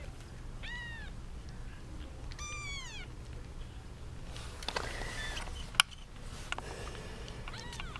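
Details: Kittens from a litter of eight, seven girls and one boy, jostle over their young mother cat, giving high arching meows with rich overtones, a longer one near the start and a shorter one at the end, amid rustling and tapping.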